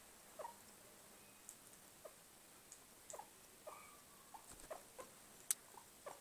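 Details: Pet guinea pig giving soft, brief squeaks and chirps scattered through the recording, a few short rising notes among faint tapping and rustling sounds.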